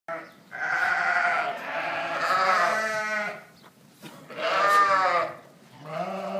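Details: Dorper sheep on a ranch giving two long, wavering, nasal bleats with a shaky tremolo, separated by a short pause, followed by the start of a third call.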